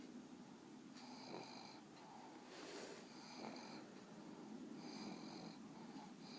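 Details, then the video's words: Monster the pug, a sleepy dog snoring with one eye open and about to drift off indoors; soft raspy breaths repeat roughly every one and a half seconds, each with a faint whistling wheeze on top. "Monster the pug snoring with his eye open"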